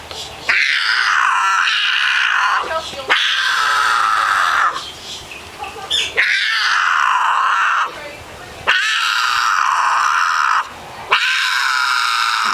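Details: Loud, repeated yowling from Mia, a female cat in heat. Four long, sustained wails of roughly two seconds each are separated by short gaps, with the pitch bending and wavering within each cry.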